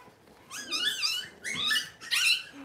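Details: Cavalier King Charles Spaniel puppy, six weeks old, squealing during deworming and toenail trimming indoors. Three high, arching squeals rise and fall over under three seconds, shrill and strained.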